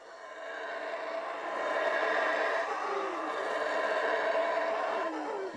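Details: Wild howler monkeys in a Central American forest reserve roar in a deep, sustained, rumbling chorus that swells and holds. One male sets the tone and the group joins in; it is a territorial war cry that carries nearly 5 km through the canopy.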